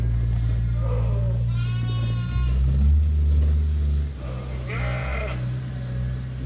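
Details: Farm sheep at Ewetopia Farms waiting for their feed during daily chores. Three wavering bleats with quavering harmonics, one long and drawn-out near the middle, over a steady low engine-like drone.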